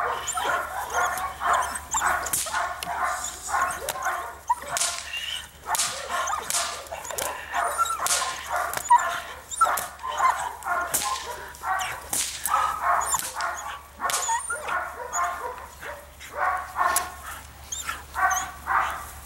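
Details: Female Belgian Malinois attacking during civil drive training: harsh, rapid barks in irregular volleys across the stretch, mixed with sharp snapping and impact knocks.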